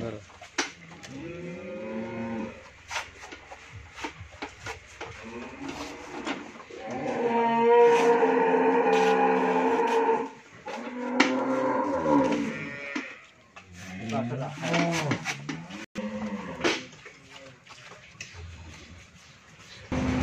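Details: Friesian cow that has calved once, with a male calf and a milk yield of 20–24 litres, on a dairy farm in Bhangura, Pabna, Bangladesh. Several drawn-out, harmonically rich moos, the loudest lasting about three seconds mid-clip, among shorter lowing calls and faint voices.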